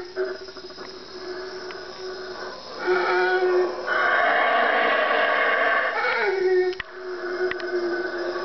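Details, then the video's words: Four wild howler monkeys roaring at 3am in the Guatemalan jungle, three trees from a room. A steady droning roar swells into louder, rough surges at mid-clip, then settles back to a lower drone. "howler monkey 3am wake up call"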